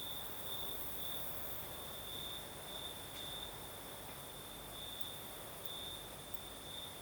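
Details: Crimean night with crickets singing: one sustained, thin, high ringing trill with brighter patches coming and going, a faint higher overtone band, and a gentle wash of breeze noise throughout.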